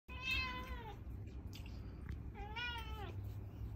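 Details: Cat meowing for more food after already eating; two drawn-out, falling meows about two seconds apart, each clear and harmonic-rich, indoors over a low steady hum.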